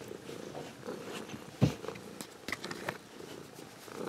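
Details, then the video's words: Ragdoll cat, an adult that was raised from a kitten, purring warmly indoors; a soft, low rumbling purr with a few brief clicks and rustles, including a sharp tap near the middle. "Ragdoll Cat Purring"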